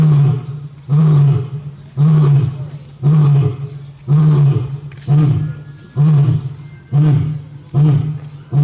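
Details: Barry, a male lion at Tobe Zoo in Japan, roaring at full strength on 5 October 2021 while still calling for his missing mate Daisy; loud, deep, breathy grunts repeat about once a second, each swelling then fading.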